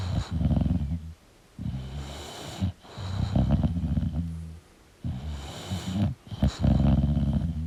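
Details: An English bulldog asleep and snoring: loud, gravelly low rumbles on each breath, about one second long, with brief pauses between them.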